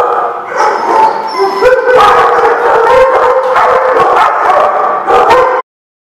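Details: Several dogs bark and howl together, drawn-out wavering howls mixed with rapid sharp barks and yips, a dense noisy chorus that cuts off abruptly.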